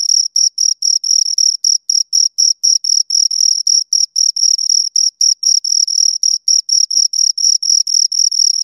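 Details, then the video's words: Two crickets produce a shrill, rapidly repeated chirp, short metallic bursts about four each second with tiny gaps between, sometimes merging into longer trills; quiet surroundings, nothing else audible. "Two Crickets Chirp Sounds"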